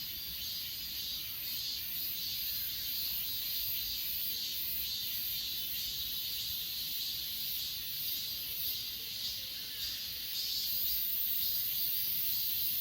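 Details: A chorus of grass insects at Achasan, captured on an S20 Ultra: shrill, hissing trills pulsing somewhat unevenly over a constant high whine, growing slightly louder near the end.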